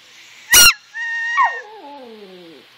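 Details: Brooke, a pet Yorkshire Terrier, answers a sharp squeaker toy with a short howl: a loud burst, then a steady high tone, then thin wavering notes that slide down in pitch and fade out.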